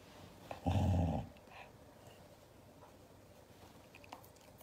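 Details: Angry Siberian Husky objecting to hugs inside a small room, giving one loud, deep, rough growl lasting about half a second, followed by near silence and soft rustling.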